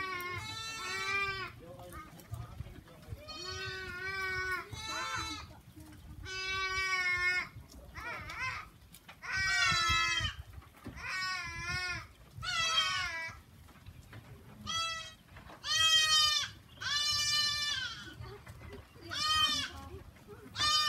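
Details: On a farm, goats bleat over and over, each cry a trembling, nasal, harmonic wail, coming every one to two seconds and overlapping at times, with little other sound.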